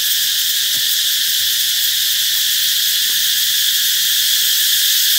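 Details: Cicadas buzz loudly in a constant high, hissing drone that signals summer is on its way. Faint short tonal notes sit quietly beneath the chorus.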